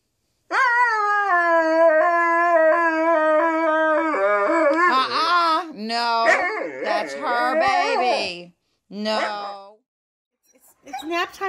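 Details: Siberian Huskies singing their woo-woo howls at home: a long steady harmonic howl held for about three seconds, then wavering, broken woo-like notes of shifting pitch, ending with short gaps and a brief final yelp.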